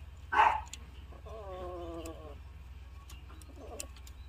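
A Siamese cat utters a steady, nasal, moaning yowl lasting about a second, typical of mating. A short sharp sound comes before it, and a fainter, rougher vocal note follows.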